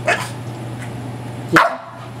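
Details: Dog playing with his ball gives two short, sharp barks about one and a half seconds apart over a steady low hum.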